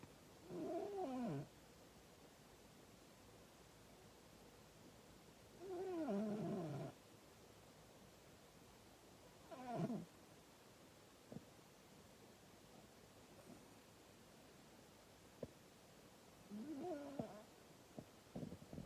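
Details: A sleeping pet cat, female, snores heavily, each breath giving a buzzy, wavering, harmonic groan that sweeps downward, repeating every four to five seconds, with faint clicks between snores in an otherwise quiet indoor room.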